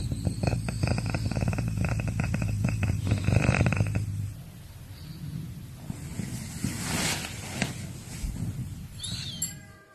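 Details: Caracal eating meat: a rapid run of low pulsed rumbling, like a rough purr, for about four seconds, then quieter rustling and a few soft clicks and chewing sounds.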